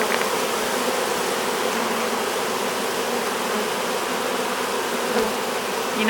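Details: Honey bees from a swarm being hived, crowding the hive entrance and fanning: thick, constant buzzing drone that swells slightly toward the end.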